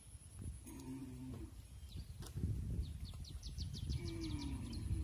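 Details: Mother cows entering the barn while their calves stay outside, on a farm; two drawn-out low moos, one near the start and a second falling one near the end, over steady low rumbling, with a quick series of high bird chirps between.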